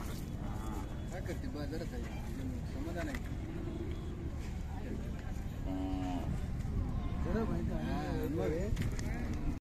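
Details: At the Sangola cattle market, 12 May 2024, a Khillar cow gives a short level low moo midway through, amid constant chatter of traders, shouted voices and outdoor market noise.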